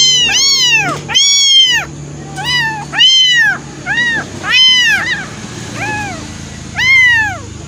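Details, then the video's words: Two abandoned kittens, thrown away and taken in, waiting for milk; loud high-pitched arched mews repeated about once a second, each rising then falling, some quick doubled, with faint low background hum. "Abandoned baby cat"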